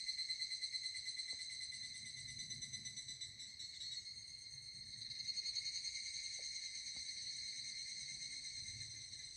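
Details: Evening cicada singing on a hot summer day while walking in the Koya Sanzan mountains in Japan: a steady, ringing, high metallic tone with fast rhythmic pulsing throughout, swelling and fading slightly, with a few faint knocks.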